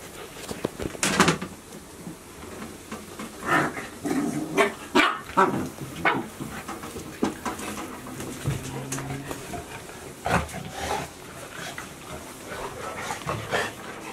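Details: Golden Retriever puppies, 73 days old, at Ain village, recorded 7 July 2018: short, sharp yips and barks in scattered bursts, some in quick pairs, with people's voices talking between and over them indoors.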